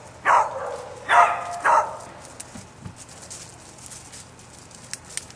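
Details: Three loud, sharp barks from Bouncer the dog come in quick succession at the start, followed by near quiet with faint background noise.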